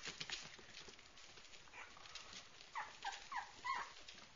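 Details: Cute puppy giving a run of short, high whimpering squeaks that bend downward, clustered near the end, over a faint hissing background.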